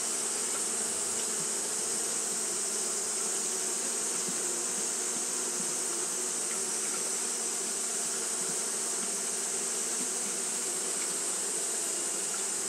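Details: Japanese honey bees keep up steady fanning on a hot day: an unchanging low, buzzy hum with rich overtones, overlaid by a persistent thin, high-pitched hiss.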